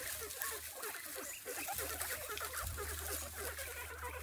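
Guinea pigs chatter and squeak in quick, overlapping bursts over a steady low hum.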